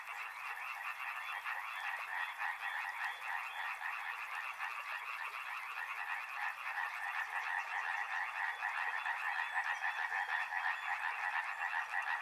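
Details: Frogs calling in a dense, continuous chorus beside a river, overlapping rapid croaks stacked in two bright bands, pulsing several times a second and swelling slightly louder toward the end; a faint high insect-like trill runs above.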